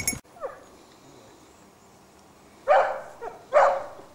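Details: Basset Hounds of a French kennel line following a scent trail: after a sharp click and quiet stretch, two loud, full-throated bays ring out close together near the end, with a faint brief yelp earlier.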